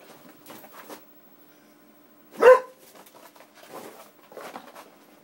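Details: Springer Spaniel indoors, excited by an Xbox disc tray opening and closing via wireless controller; one loud sharp bark in the middle, with softer scuffling and low voices around it in a small room.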